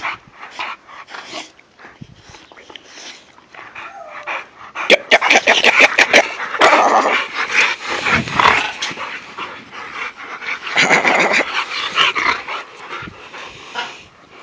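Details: American bulldogs playing in a backyard; several dogs give rough growls and short barks in bursts, mixed with scuffling and rustling noise.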